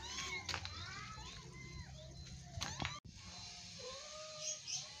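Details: Young kittens play-fighting: a few quick arched mews at the start, then softer drawn-out mewing tones after a brief break, with some voices in the background.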